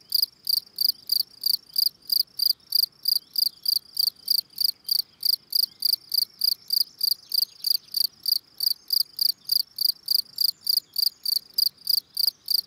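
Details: Steady calling song of a Gryllus campestris field cricket: rapid series of piercing high chirps, around three per second, unbroken throughout, with faint low ambient noise beneath.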